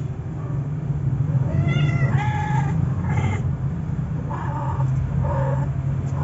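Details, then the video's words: Siamese cat mating with a male puspin, a Filipino native cat: harmonic, wavering yowls in short bursts, with about four calls spread across several seconds over a steady low hum. "My Siamese Cat Mates With A Male Puspin."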